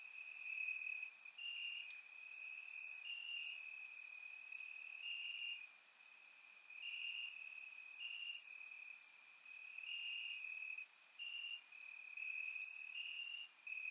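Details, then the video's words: Crickets calling from grass on a warm summer night in Bulgaria, captured in surround sound; an unbroken high trill with rhythmic louder segments and sparse high-pitched ticks above. "Cricket Sounds - Crickets Chirping at Night"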